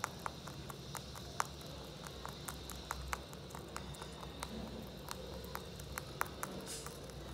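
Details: Holland Lop bunny named Mochi eating hay indoors, a stream of sharp dry crunches several per second, fairly regular, with a thin steady high-pitched whine and low room rumble underneath.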